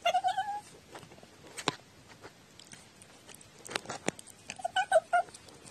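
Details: Talking domestic cat recorded on 14 October 2017, giving short tonal meows at the start, a quiet stretch with a few clicks and knocks, then another run of brief meows near the end.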